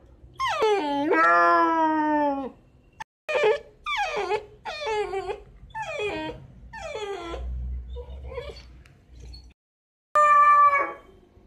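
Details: Six-month-old Miniature Dachshund puppy crying at night to be let out: a long rising-falling whine, then a run of short descending yelps, a pause, and another drawn-out whimper.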